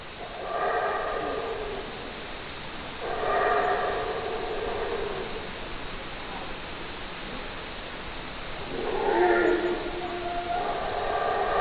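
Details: ['Howler monkey giving a series of deep, banded roaring howls, short bursts spaced a few seconds apart, the last two running close together; steady low hiss fills the gaps.']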